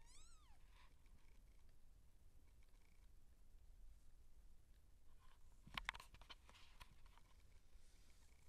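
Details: A seal point Siamese cat giving birth gives a brief rising-falling meow at the very start. Silence follows, broken later by a few sharp clicks or knocks and a low background hum.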